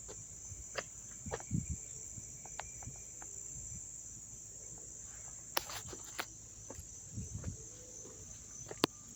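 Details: Crickets chirping nearby in Dobbs Ferry, New York, September 9, 2024: an even, piercing high trill runs throughout, broken by brief sharp clicks and a few soft low bumps.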